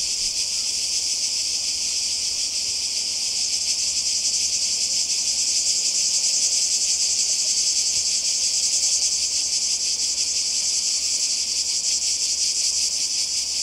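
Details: Summer cicadas near the Croatian coast, 2020, filling the air with a continuous shrill buzz, a steady high droning wall of sound with slight pulsing texture and no pauses from start to end.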